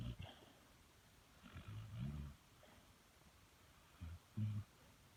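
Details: Sleeping dog snoring loudly: deep, low rumbling snores around two seconds and again near four and a half seconds, with quieter breathing and faint background hiss in between.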